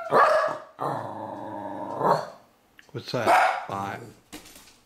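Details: Spot, a male Wire Fox Terrier, singing along or letting another dog know he is there: drawn-out yowling howls with wavering pitch, two long bouts separated by a short pause, with a person speaking nearby.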